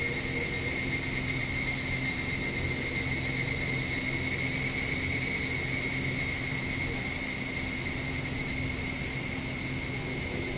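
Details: Continuous shrill whine of evening cicadas starting up at dusk near a home balcony; the high buzzing sheet of sound never pauses, steady in level, over a quiet low background hum.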